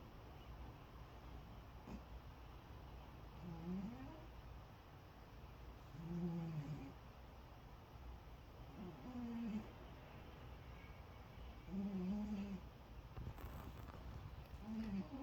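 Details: A sleeping cat snores loudly for such a small body. Low, rumbling, slightly wavering snores come about every two to three seconds, six in all, against a quiet indoor background.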